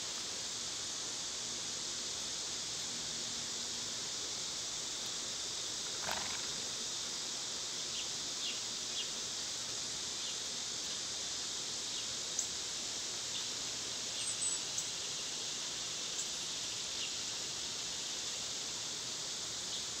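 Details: Cicadas singing on a summer day, a steady, dense, high-pitched electric hiss that holds without a break, with a few faint, brief bird chirps and one short sharp click partway through.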